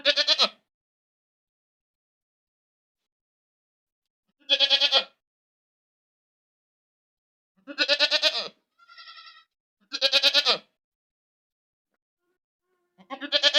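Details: ['Goat screaming loudly: five harsh, quavering bleats with a wobbling, pulsed tone, spaced about four seconds apart. A fainter, thinner bleat comes in between, and the pauses are silent.']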